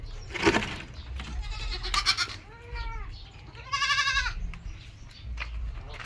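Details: Domestic goats kept as farm animals: two clear bleats, a short wavering one followed by a louder, strongly quavering bleat, with rustling, thumps and brief background noise around them.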